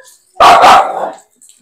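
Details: Aspin dog at bath time giving one loud, strained bark of under a second, a double-peaked burst followed by a short fading tail.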